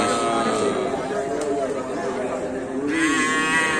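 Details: Cattle at a Karapan Sapi bull race on Sapudi Island, Indonesia: a drawn-out, low, harmonic moo sustained through most of the moment, turning brighter and more nasal near the end, over a steady din of crowd noise.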